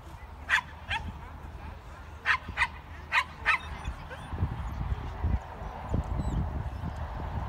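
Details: Barking from Feorish Irish Wolfhound Bran, Irish Junior Champion: six crisp barks in pairs during the first half, then the barking stops and low rumbling background noise takes over.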